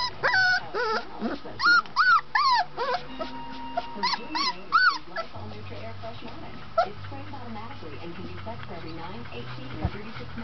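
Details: Golden retriever puppy named Tessa, on her twentieth day, finding her voice: a run of high, wavering whimpers and squeaky yelps in the first five seconds, then quieter with a low steady hum behind.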